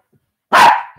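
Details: A Shih Tzu barking during rough play between a senior Shih Tzu and a puppy, caught on a live camera. One loud, short, harsh bark of about half a second that fades quickly, with quiet before and after.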